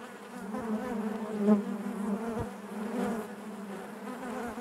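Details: Honey bee hive interior: an unbroken, layered buzzing drone, rising briefly in loudness near the start and again midway as bees fly past.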